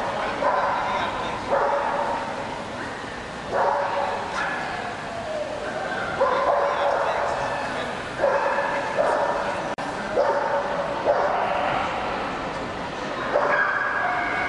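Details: Barking from an Akita at the CACIB Poznań 2007 international dog show: sharp barks repeated roughly every one to two seconds, standing out against continuous chatter and echoing hall noise.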